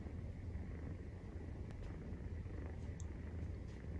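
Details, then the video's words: Maine Coon, 43 days old, purring through nursing: continuous deep buzzing rumble, steady in loudness, with a couple of tiny sharp clicks or ticks on top. "授乳時のゴロゴロ 生後43日目【メインクーン動画】"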